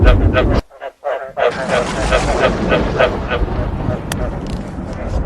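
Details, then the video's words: Frog croaks mixed with thunder, made to be played so frogs want to breed: short harmonic croaks repeat about three times a second, break off briefly, then return under a steady hiss of rain and a low rumble. "เสียงกบ เสียงฟ้าร้อง เปิดให้กบอยากผมพันธุ์"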